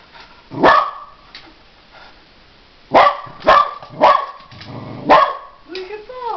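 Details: Angry dog, tested and outsmarted, gives a series of loud, abrupt barks: one early, then a burst of three close together and another, with a person's voice rising at the end.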